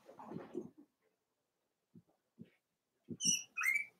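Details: Four-week-old Cavalier King Charles Spaniel puppies of Daisy's litter in their indoor puppy pen. Soft low grunts and snuffles come first, then a few scattered taps. The clip ends in two sharp, high, harmonic squeals close together.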